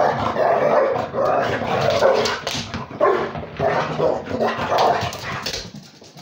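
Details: During play with a pitbull, a Beagle-Basset Hound mix gives repeated rough growling barks, about six pulsing bursts spread over six seconds, fading toward the end.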